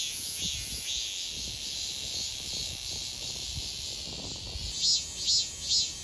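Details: Cicada chorus in Donghae, South Korea, archived in 2022: a steady shrill buzzing drone, with three louder pulsing bursts in the final seconds and faint low background rumble.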